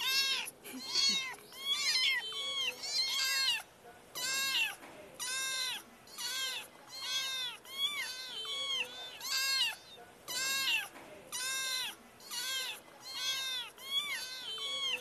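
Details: Cute kitty meowing over and over, each meow a bright arched harmonic cry, about one per second, steady and insistent across the whole stretch with only faint background.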